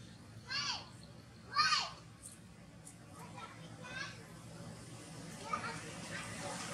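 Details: Baby monkey Toni cries after falling into a ditch and hitting the ground when its mother catches its tail: two loud, high, arched squealing cries in quick succession, then a few fainter wavering squeals over a steady low hum.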